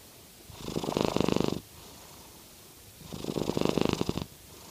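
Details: Norwegian Forest Cat purring while snoring, the quietest noise it makes; two rhythmic breathing bursts of fast, throbbing pulses, each about a second long, separated by quiet pauses, indoors.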